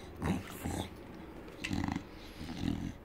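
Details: English Bulldog growling while eager for sausage: short, low rumbling growl bursts, four in all, each under half a second, separated by quieter pauses.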